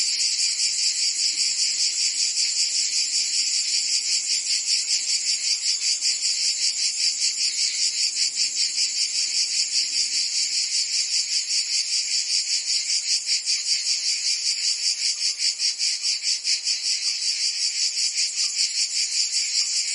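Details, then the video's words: Massed cicadas singing through a Provence summer in France, an unbroken sizzling high buzz throbbing in very regular fast pulses for the whole stretch, with no other animals or voices. "Cicadas singing in France (Provence)"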